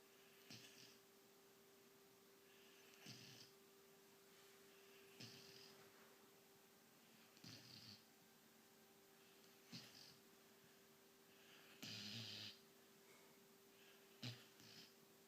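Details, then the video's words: Nanook, a sleeping white German Shepherd puppy 17 weeks old, snoring indoors: soft breathy rasping snores come roughly every two to two and a half seconds, one louder and hissier near the end, over a steady low electrical hum. "white german shepherd puppy nanook snoring"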